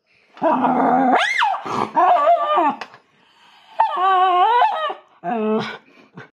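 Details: Loud-voiced family Miniature Schnauzer howling indoors, 'singing opera' while wanting to join a board game: several sliding, swooping tonal howls, some climbing sharply, in quick bursts with short gaps.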